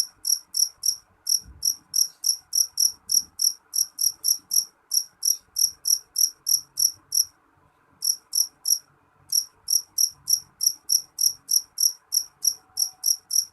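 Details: Loud, shrill chirps from a jangkrik jeliteng cricket, steadily repeated about three times a second, with two short pauses over a quiet background hiss.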